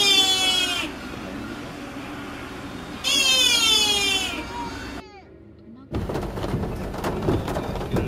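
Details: A sika deer (Cervus nippon) in Nara gives two harsh, strained, 'old-man-voiced' barks rich in overtones, with traffic-like noise behind.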